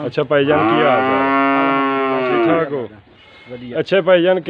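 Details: Nili-Ravi buffalo in Pakistan giving one long, steady, low moo lasting about two and a half seconds, dipping slightly at the start, then breaking off as music with a wavering singing voice takes over.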